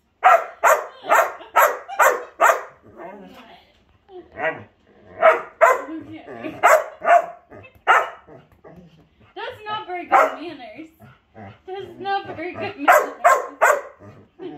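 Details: Daisy, an Old English Sheepdog dancing in a hat, lets out a quick string of barks, then talking takes over with scattered barks, and a final flurry of barking closes out.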